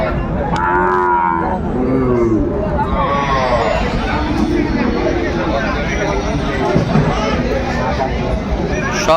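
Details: Young Sahiwal bulls offered for sale at a busy livestock market on 15 December: two short, wavering bellows early on, then fainter lowing, beneath steady human talk and market hubbub.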